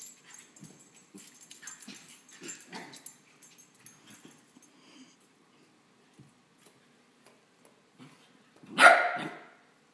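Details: Marley, a female West Highland White Terrier puppy, playing and hopping around like a bunny; soft scuffling and faint play noises for several seconds, then one loud, sharp, high-pitched bark near the end.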